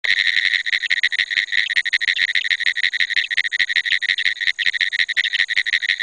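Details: Pine woods treefrog. Pine woods treefrogs call with rapid, dry clicks run together into a continuous rattling series. The notes are fairly high and insect-like and carry on without pause, like a telegraph key tapping out Morse code.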